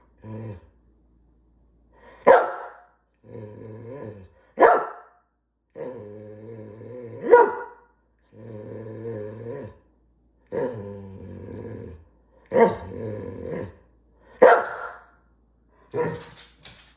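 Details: Female greyhound asking for dinner, alternating long, droning, harmonic grumbles or moans with loud sharp barks, roughly six barks over the stretch, each grumble lasting one to two seconds.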